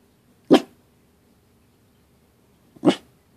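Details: Pembroke Welsh Corgi barking while upset, as its owner asks why: two short, sharp single barks about two seconds apart, quiet and clipped, with near silence between them.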